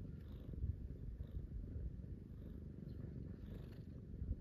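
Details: House cats cuddled up against a person waking in the morning, one getting petted; a deep, even purr throbs without a break, with soft rustles now and then.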